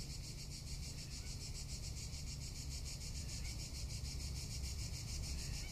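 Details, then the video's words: Summer cicada chorus in Tuscany, a continuous high-pitched rasping drone with fast even pulsation that never pauses, set against soft low-frequency hum. "Cicada or Cigarra - Sounds of summer in Tuscany"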